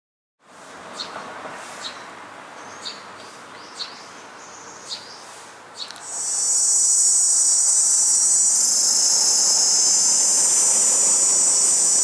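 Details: Male cicadas, which produce their sound with a tymbal and chorus to attract females. Quiet start with sparse sharp ticks, then at six seconds a loud, steady, high-pitched droning buzz swells in and holds to the end.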